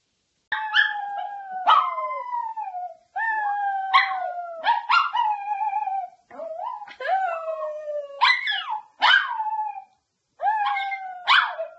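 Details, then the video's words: House dog howling steadily in a chain of sustained wails broken by sharp yip-like accents and barks. There are almost no pauses, and the pitch dips and rises between notes. "How To Make Your Dog Howl"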